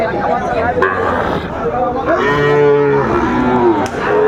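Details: At a Brahmanbaria cattle market in Bangladesh on 31 May 2024, a Sahiwal bull gives a drawn-out, tonal lowing call lasting under a second. People talk loudly all around, with market noise throughout.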